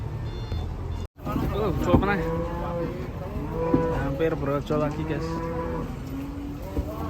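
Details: Angry cattle bellowing: after a low rumble and an abrupt edit cut, overlapping harmonic moos rise and fall repeatedly against steady low-pitched background noise.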